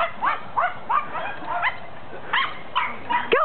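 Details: Jack Russell Terrier at a Jack Russell Play Day, lure racing. Sharp, rising yips and barks repeat about every third of a second in a steady series, with a short pause midway and a louder final yelp.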